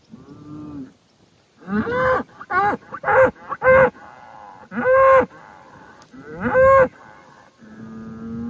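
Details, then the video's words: Highland cattle bulls on a farm in Finland, kicking dirt and making noise; a run of short, bellowing moos with rising and falling tones, several overlapping in quick succession, between quieter lowing at start and end. "Highland Cattle Bulls Kicking Dirt and Making Noise"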